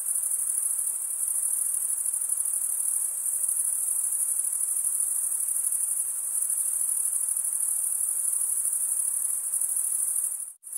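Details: Crickets, mostly males, stridulate with wing against serrated wing in a continuous thin high trill at unchanging strength, broken only by a brief sudden dropout just before the end.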